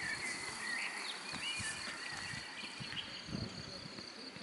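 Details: Cricket hidden in grass while someone searches for it: a steady, high, unbroken trill runs throughout, with brief whistled bird notes and soft rustling and thumping close by.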